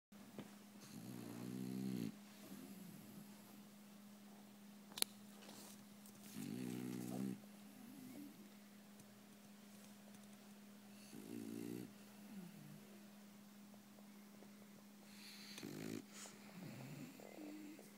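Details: A French Bulldog (Canis familiaris), a loud snorer who sleeps by himself, snores in rough, rattling bursts about every five seconds over a steady electrical hum.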